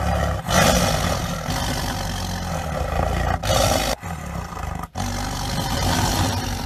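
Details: Tiger roar, Panthera tigris: long, heavy, throaty rumbles with a low droning core, pausing briefly near four and five seconds.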